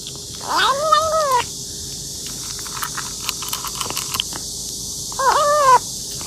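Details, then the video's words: Kitten eating voraciously gives two drawn-out meows, the first near the start lasting about a second and the second near the end, with faint clicks and chewing sounds in between. "A kitten eating voraciously while making "meow" sounds"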